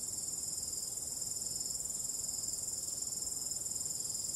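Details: Crickets at night in calm wind, a tightly pulsed shrill trill of even, rapid beats.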